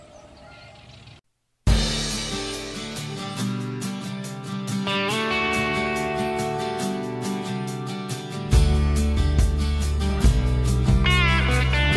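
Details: Loud guitar-driven music with a strong beat follows a brief quiet gap, and no animal calls stand out.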